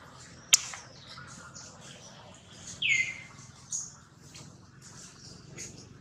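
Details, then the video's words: Jody, a newborn monkey in the hands of kidnapper Spring, lets out one loud, high sliding cry after a sharp tap. Light handling noise surrounds it. "baby newborn Jody crying loudly on hand kidnaper Spring"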